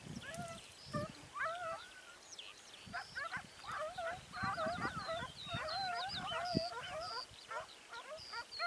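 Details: Segugio Italiano pack hunting hare at Sofiko in Evros, 29 May 2019. Far-off tonal bays rise and bend in an excited, overlapping chorus of several hounds, with short yelps and light rustling noise in the open countryside.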